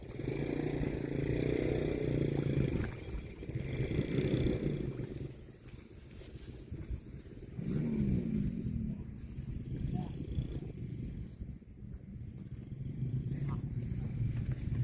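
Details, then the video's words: Drawn-out low moos from cattle fill the first five seconds, then a shorter, rising moo follows after a pause, with wind and low rumbling throughout. "CUTE AND FUNNY COW SOUND"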